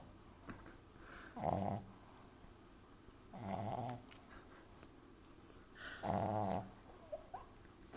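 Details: Sleeping in a person's arms, French Bulldog puppy Amy snores loudly: three harsh, buzzing snores roughly every two and a half seconds, with faint sniffs and clicks between.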